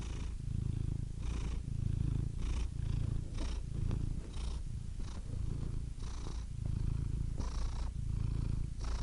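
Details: Purring cat: a low, buzzing rumble that swells and fades in an even breathing rhythm, each cycle about one to one and a half seconds, with faint airy hiss on the inward breaths.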